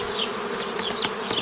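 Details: Honey bees in an old-style beekeeping setup, forming nucleus colonies from a previously formed forager swarm, May 2018; dense steady buzzing hum of many bees with a strong low drone band and scattered brighter wingbeat streaks.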